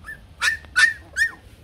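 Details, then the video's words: Bac Ha dog, a shaggy Vietnamese breed raised at a kennel: three sharp, high yipping barks come about every 0.4 seconds. Thin tonal whines sound between the barks. "Chó Bắc Hà xù VN"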